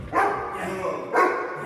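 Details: A Neapolitan Mastiff in hold-and-bark foundation training gives two deep, loud barks about a second apart, with music playing in the background.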